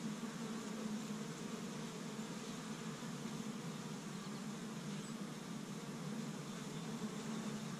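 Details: Spring activity at a honey bee hive in Michigan on a first warm day, bees busy gathering pollen from tree buds; a thick, unbroken low buzz of many bees, with passing bees briefly louder.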